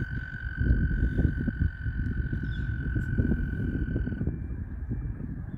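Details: Mating frogs surround a kayak, some right under the paddle, calling together in a thick, low-pitched croaking chorus of rapid overlapping pulses; a constant thin high tone accompanies it until it cuts out near the end.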